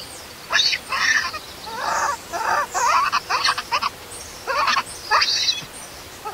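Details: Baby monkey crying loudly and angrily after its mother leaves it alone; short bursts of wavering, raspy cries with high shrill edges, coming in quick clusters with brief pauses between.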